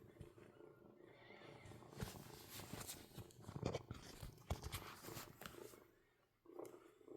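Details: Kitten purring with a steady, soft rumbling purr that runs for several seconds, broken by light rustling and a few short clicks, before a brief quiet gap near the end.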